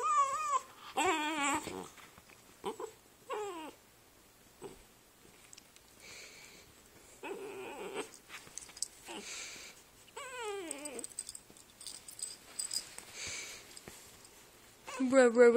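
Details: Brother dogs Rascal and Atom, chatting on the couch indoors: wavering, high whines and whimpers that rise and fall in pitch, coming in scattered bursts with quieter gaps, ending in a louder drawn-out whine.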